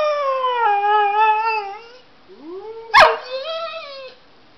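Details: Dog howling in response to a laptop, sustained tonal howl with rich harmonics slowly falling in pitch, a short pause, then rising whimpering glides, a brief sharp yip, and a final wavering howl.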